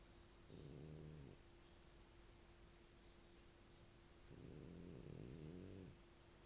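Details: Heavy snoring from Ettore, an Italian dog asleep: one short rumbling snore, a pause of about three seconds, then a longer, wavering, throaty snore, all over a soft steady hum.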